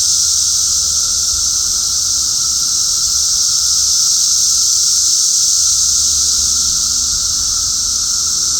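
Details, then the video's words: Cicadas heard outdoors produce a sustained, piercing buzz like hissing steam, constant in pitch and loudness for the full length, with only faint low rumble beneath. "cicada sounds"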